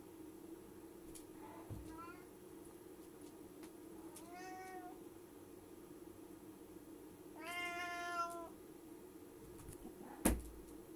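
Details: A domestic cat meowing before jumping, as if declaring war first. Three harmonic meows, the last longest and loudest, over a steady low indoor hum, with a sharp thud near the end.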